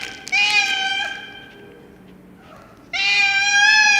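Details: Loud domestic cat meowing: two long, steady, nasal meows, one near the start and one after a pause of about two seconds, with faint murmuring between.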